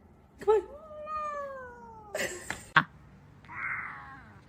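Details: Cat in a funny moment indoors giving one long meow that starts sharply, then glides slowly downward in pitch for nearly two seconds, followed by bumps, a click and a brief hissy rustle.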